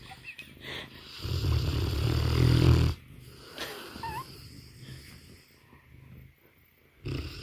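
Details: Banner the Mastiff, fast asleep, gives one long, deep, rattling snore for nearly two seconds, framed by softer wheezy breaths and a brief quiet snuffle before another inhale begins.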